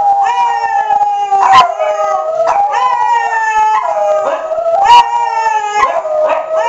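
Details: Household dogs Cricket, Foxy and Nemo join in a chorus of howls as tornado sirens are tested on the first Tuesday of the month. Rising and falling howls overlap, with brief sharp yelps and a constant siren drone beneath.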